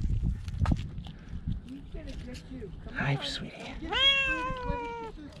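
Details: Rescued cat giving one drawn-out, steady meow lasting about a second, with rustling, handling noises and human speech just before it.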